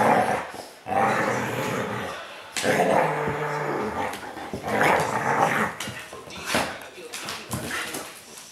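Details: Mishka, a talking Siberian Husky, grumbles and growls while biting a puppy in play; throaty, rumbling vocal bursts rise and fall in several separate runs, with a human voice speaking in the background.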